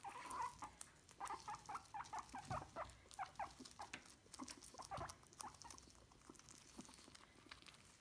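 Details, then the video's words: Guinea pigs being brushed give quick, clipped squeaks in rapid clusters early on, thinning toward the end, over steady rustling and brushing noise. "Guinea pigs brushing squeaking"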